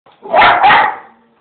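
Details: A male English Bull Terrier pup at home gives two quick, throaty, bark-like vocal bursts, telling off his owner.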